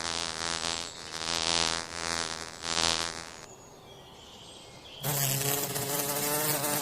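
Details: Forest bees making honey, a steady droning hum with layered harmonics that swells and fades over the first three seconds. A quieter gap follows, then a harsher, noisier buzz resumes.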